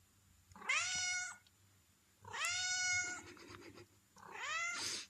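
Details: Hungry female domestic cat asking for food: three loud, drawn-out meows, each rising then falling and lasting under a second, spaced about one and a half seconds apart in a quiet indoor room.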